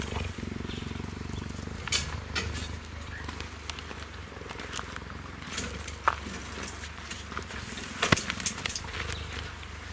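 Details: A cheetah purrs in a deep, steady, throbbing rumble while leaning against a fence so meerkats can groom him.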